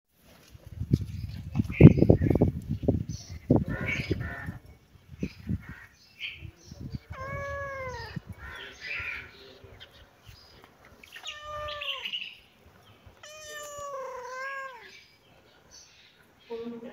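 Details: Cat from a compilation of cute baby cats and cats: after loud low thumping sounds, three drawn-out, arching meows with a clear rise and fall, spaced a few seconds apart, with quiet gaps between them.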